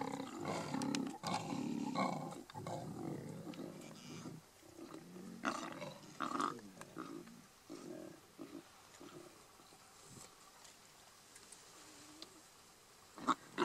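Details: Lions of a large pride in Kruger National Park fighting over a buffalo kill: harsh, broad growling snarls and roars in bursts over the first six seconds, then quieter rumbling and scattered noises.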